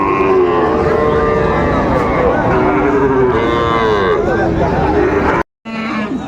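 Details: Sahiwal bull calves for sale at the Raniganj market, Dinajpur, 18 April 2024: several long, steady moos follow one another and overlap, with market voices behind and a brief cut to silence near the end.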